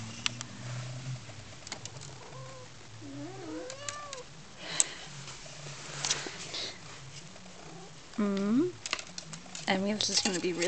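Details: House cat playing with a feather wand toy, chirping and pouncing: a series of brief, curved, rising-falling chirps scattered through the clip, louder and denser toward the end, with rustling, clicks and a person talking softly.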